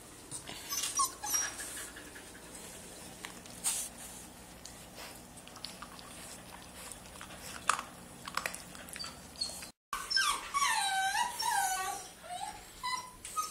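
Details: Golden Retriever puppy meeting a person indoors. After several seconds of rustling and handling noise, a brief break gives way to a run of high, arching whimpers and whines, repeated rapidly in short bursts.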